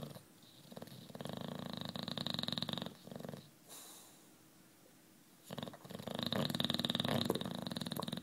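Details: Juanito, a 9-year-old British Bulldog, asleep indoors, snoring: two long rasping, rattling snore breaths, the first from about 1 to 3 seconds and the second from 5.5 to 8 seconds, with quieter breathing between.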